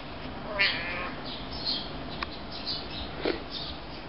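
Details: Five-month-old kittens that still nurse from their mother: short, high-pitched mews near the start, then fainter squeaks and a few sharp clicks over a steady background hiss.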